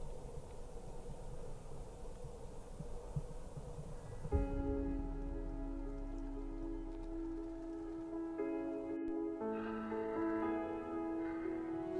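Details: A few seconds of soft rain-like hiss give way to sustained, layered ambient music, with no animal calls heard.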